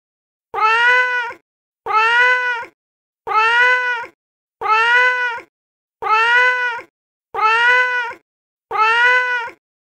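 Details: Male cat in heat meowing: seven evenly spaced, drawn-out harmonic meows, each under a second long with a slight rise and fall, repeated about every 1.3 seconds in silence.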